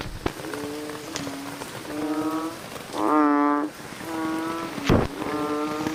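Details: Bullfrogs at night in the rain: one loud, buzzy-toned, harmonic croak stands out midway among repeated softer calls from other frogs, with rain hiss and a few sharp drip clicks.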